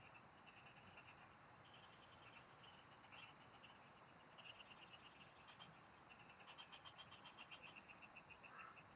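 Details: Field frogs calling during a fishing trip: many overlapping bursts of quick, clicking pulses at a high pitch, following one another almost without pause over a soft, constant background hiss.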